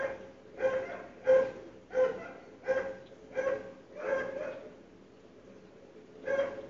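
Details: Dogs barking on a morning, heard through sealed windows and doors of a nearby house: a series of sharp, mid-pitched barks about every two-thirds of a second, then a pause before one last bark.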